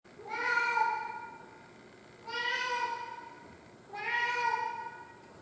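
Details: Tarzan, a pet cat, crying in a long series: three drawn-out, harmonically rich meows, each about one to one and a half seconds, spaced roughly every two seconds, with a quiet background.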